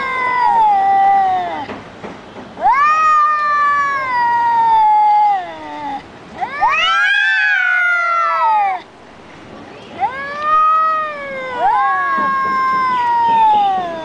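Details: Two domestic cats in a vocal standoff, trading long drawn-out wailing meows that rise and fall in pitch, harmonic and overlapping, with several howls across the stretch and short quiet gaps between.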